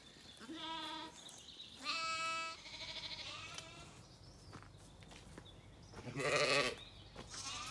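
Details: Zwartbles sheep settling for the night at sunset in County Kilkenny, Ireland, lamb and ewe exchanging calls; a few quieter bleats, one clear high tremulous call early and a harsh louder one later, softer sounds between.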